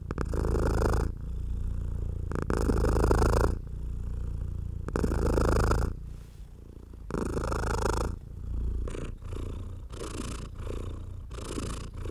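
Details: Domestic house cat purring while being stroked, enjoying human touch; deep rumbling purr rising and falling with each breath in swells about a second long, separated by brief quieter gaps, indoors.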